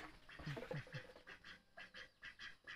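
A tokay gecko gives a run of low, throaty, quack-like notes repeated in quick succession.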